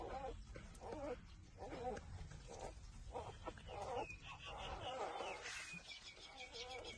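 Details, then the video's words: Six-day-old newborn puppies nursing from their mother, making repeated short whimpering and squealing calls with harmonic bands, alongside faint Vietnamese speech and background noise. "puppy-6-days-old Sucking for breastfeeding"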